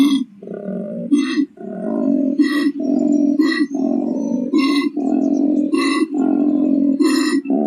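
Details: A wild koala in the Australian bush gives a deep, rasping growl of belching grunts broken by snoring, wheezy in-breaths.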